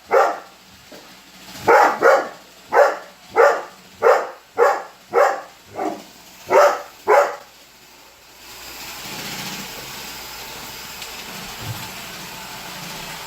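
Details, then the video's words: Holder, a Weimaraner dog, barking indoors at a running Roomba robot vacuum: a steady series of about ten sharp barks roughly every half second, then the barking stops and a low mechanical whir continues. "Roomba robot vacuum vs Holder - Holder The Weimaraner"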